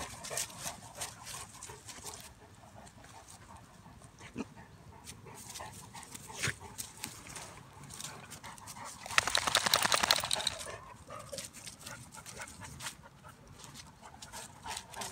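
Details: A Bulldog/Staffy cross wrestling with a Cane Corso: steady fast panting with light scuffles, then a sudden louder, rougher rush of breathy noise for about two seconds midway before the panting settles again.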